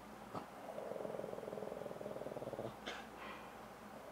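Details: Shih Tzu growling while being played with by a person: a rolling, pulsed growl held about two seconds with rapid regular throbs, then a couple of short breathy snorts.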